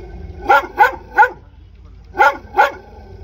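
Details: Dog barks three times in quick succession, pauses briefly, then barks twice more; loud, sharp barks over faint low hum.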